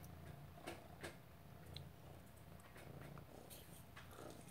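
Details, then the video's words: A Maine Coon cat purrs in a steady, low, pulsing rumble while chasing "prey", with scattered clicks and rustles. "Lilly the Maine Coon purring and chasing "prey""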